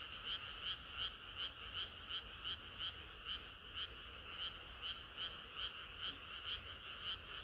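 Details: Frogs chorusing on a hot summer night, many voices overlapping in a dense, steady rhythm of bright pulsed croaks, roughly three every second, with a low continuous rumble beneath.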